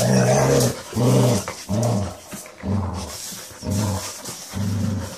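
A Basset Hound gives deep, rumbling moans, repeated about once a second.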